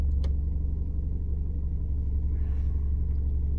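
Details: A steady low engine rumble from an idling vehicle fills the recording, with a brief click near the start and no animal voices.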